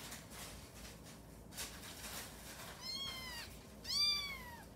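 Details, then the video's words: Orphaned kitten, adopted at nearly three weeks old, cries while straining during its first pee: after quiet rustling, two high, downward-curving meows come close together, the second louder and longer. "ลูกแมวฉี่ครั้งแรก เบ่งฉี่ไปร้องเหมียวไป"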